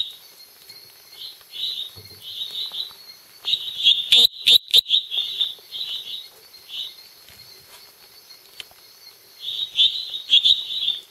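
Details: At night at Los Lagos, Beni, Bolivia, a small male treefrog (Dendropsophus minutus species complex) calls with high, short creaky notes in quick irregular bursts over a steady insect hum.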